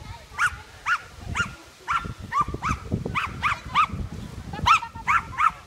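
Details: Steady barking from Bertha, a Welsh Terrier running a class III agility course in Rauma on 22 July 2018, result disqualified: eleven clear, sharp barks roughly every half second over thumping footsteps and faint crowd sounds.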